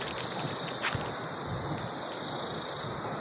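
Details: Annual cicadas in Swat, Pakistan, give a steady, high-pitched, shrill drone without a break, with a man's voice faintly behind it.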